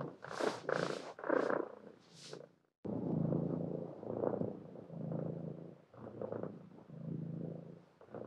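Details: Cat with several breathy, rising-and-falling meows in quick succession, then a continuous low purr that swells and fades in waves for the rest of the recording.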